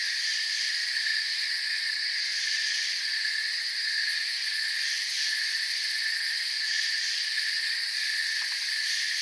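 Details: Continuous cricket chirping fills a forest soundscape: overlapping high-pitched trilling bands hold steady throughout, with faint rapid pulses above and a brief soft click near the end.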